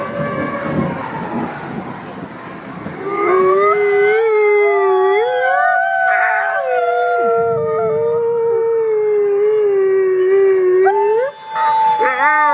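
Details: Wolves howling to bond with and communicate with the pack: after a few seconds of noisy, murmuring sound, a clear long howl rises and holds steady for several seconds, other voices wavering above, ending with rising sliding notes.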